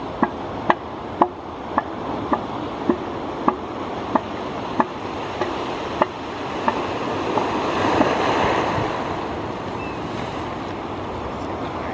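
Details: Steady ocean surf and wind sound on a beach, with sharp regular clicks every half second or so and no animal calls.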